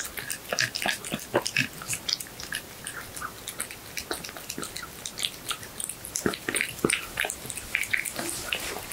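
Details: Close-miked house cat feeding on horse meat indoors: steady run of wet chews, lip smacks and sharp little bite clicks, irregular rhythm over several seconds, no other sounds.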